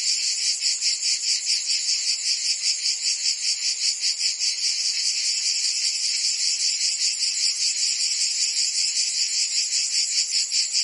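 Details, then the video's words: In the Provence summer in France, cicadas sing together in a harsh, high-pitched buzzing drone. The drone swells and fades in an even, regular throb of roughly 150 pulses a minute. "Cicadas singing in France (Provence)"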